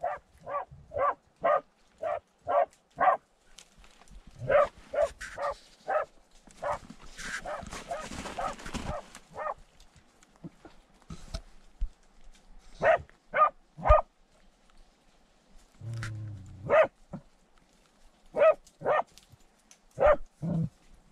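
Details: Terrier down a badger tunnel giving a rapid volley of short, sharp barks, then a hissing, scraping burst around the middle, followed by barks coming in irregular bursts with longer gaps and a low rumble near the end.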